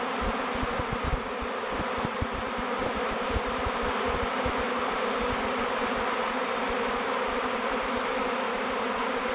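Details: Thousands of swarming bees in flight around a log hive named Bee Beard, about to move in; a steady, dense humming drone lasting throughout, with low rumbling pulses heavier in the first half.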